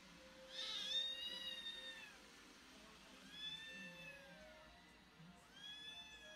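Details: Kitten Mamedaifuku seeking out and nuzzling up to the older cat Hinoki for affection; three drawn-out, clear harmonic meows, the first loudest and slightly wavering, the others gently arching, with faint background murmur.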